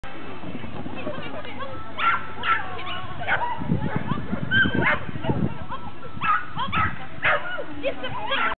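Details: Border Collie at an agility event on 8 March 2008, barking in short, sharp bursts roughly every half second over several stretches. Crowd chatter and a steady low rumble run underneath.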